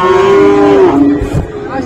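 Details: Single long, level moo from Friesian or crossbred cattle at Raniganj market in Dinajpur, 7 November 2024, lasting about a second before sliding lower and trailing off, with a bump of background noise afterwards.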